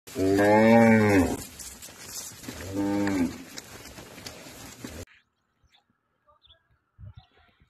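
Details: Hallikar bull lowing twice: a long, deep moo with rich harmonics of about a second, then a shorter moo near three seconds, followed by quiet.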